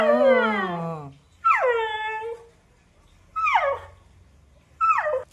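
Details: Puppy whimpering while playing with children, four drawn-out whining cries with falling pitch, the first long and wavering, the others shorter, each separated by a second or more of quiet.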